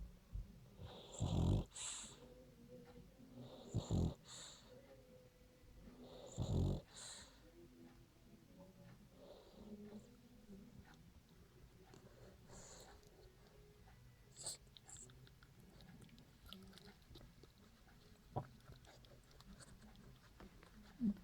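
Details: French Bulldog Royo asleep and snoring: three strong, throaty rattling snores in the first seven seconds, roughly every two and a half seconds, then softer, irregular snuffling breaths that fade to quiet.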